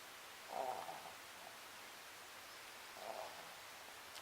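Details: A sleeping Papillon dog named Sakura snores indoors: two faint, breathy rasps about two and a half seconds apart over a low, steady room hiss.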